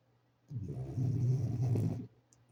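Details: Sleeping French Bulldog gives a single long, rough snore lasting about one and a half seconds, low and rumbling with a steady throaty drone, in an otherwise quiet room.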